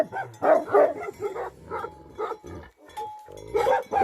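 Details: Tibetan Mastiff, or Bhote Kukur, a livestock guardian dog in Nepal. It gives uneven bursts of deep, rough barks with short gaps between them, plus a faint steady tone in the background.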